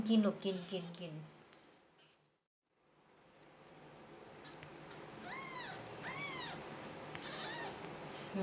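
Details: Mimmi, a 6-day-old kitten rejected by its mother cat, gives three or four shrill, rising-then-falling mews near the end, after a woman speaks in Thai asking the mother to let it nurse because it is cold.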